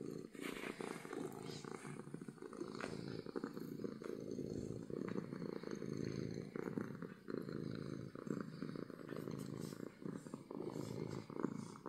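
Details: Happy domestic cat giving loud purrs, a long continuous low rumble in regular breathing pulses, with soft handling noise and faint murmurs of speech in the background.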